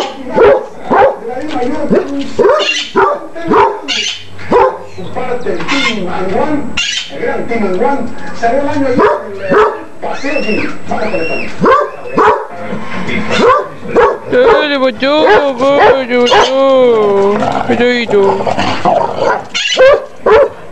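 A basset hound gives deep, rough barks that stretch into long, wavering baying howls.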